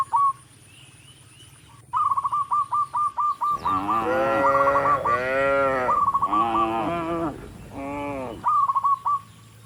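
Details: Dozens of tame cattle walking up a rural road toward the barn, mooing to call other cattle; long, deep, wavering moos fill the middle seconds, bracketed by bursts of short, rapid chirping notes.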